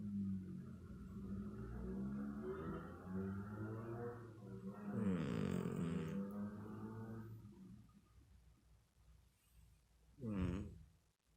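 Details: Snoring house cat, a steady low harmonic rumble swelling into a louder raspy breath midway, followed by a short sharp snort near the end.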